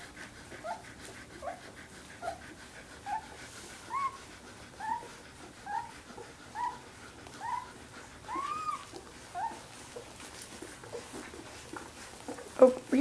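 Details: Samoyed puppies, 17 days old, from Athena's litter, playing together indoors. A series of short, high, rising-and-falling whimpers repeats about once a second, with a faint human voice underneath.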